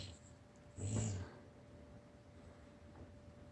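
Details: A Basset Hound indoors gives a single deep, gruff bark, low and brief, in an exchange with a Chihuahua that chirps back.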